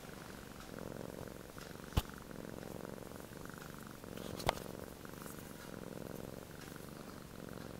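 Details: Snoring from a relaxed male Sphynx cat, soft raspy inhales and exhales rising and falling every couple of seconds, interrupted by two sharp clicks.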